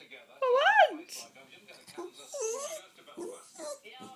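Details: Pennie, a pet Jack Russell terrier, indoors in a small room, telling her owner off because she wants the owner's coffee: one loud, whiny yowl that rises and then falls, followed by a woman talking back to her.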